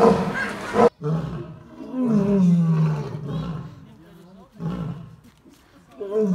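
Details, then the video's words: Lion roaring: a loud rough burst opens, then a long deep drawn-out moan that slides downward, followed by quieter wavering tones and a fresh deep call rising again at the end. "Lions Roaring Compliation"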